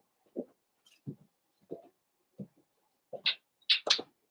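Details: Blenheim Cavalier King Charles Spaniel puppies from a litter of five born at New Year's, indoors in a home puppy pen: soft low grunts and murmurs in a slow series, then three sharp, higher yips close together at the end.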